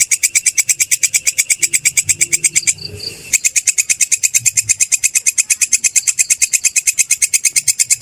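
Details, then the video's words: Kecek or kerik grasshopper, recorded as a tutor sound for songbirds: a regular train of rasping ticks, roughly three each second, broken by a brief pause with a faint short whistle before the ticking resumes. "Suara belalang kecek/kerik"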